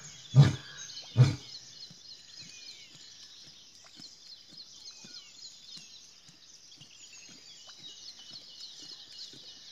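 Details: A lion in Gir Forest, India, gives two deep, booming roaring grunts, which then fade under a steady high insect chorus.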